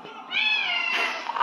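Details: Domestic cat, now living separately from its owner, cries out when it hears her voice on her visit. A single loud meow rises slightly and then holds steady for about a second, ending in rustling noise.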